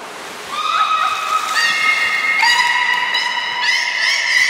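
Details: Belugas Hodoi, Taanya and Mirai in a training session at the Port of Nagoya Public Aquarium, 14 September 2019, giving steady harmonic tonal calls that step up and down in pitch, with water sloshing beneath.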